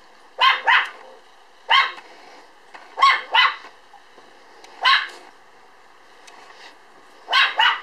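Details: Standard Poodle puppy, born on 1 July and weighing 3.8 kg when filmed on 5 September, repeating high, clipped double barks spaced one to two seconds apart, with near-silence between them.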